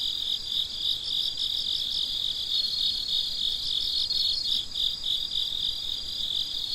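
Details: High, rhythmic chirping of crickets on a midnight night, several overlapping singers pulsing a little over three times a second in a seamless shrill chorus without other noises.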